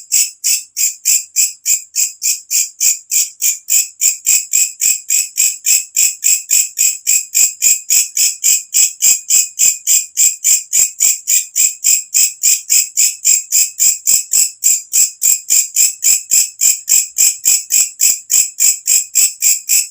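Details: Walang kecek katydid, an insect that calls loudly as night falls, recorded in nature and used as a training sound for songbirds; a steady series of harsh, high, buzzy pulses, about three and a half per second, with no other sounds.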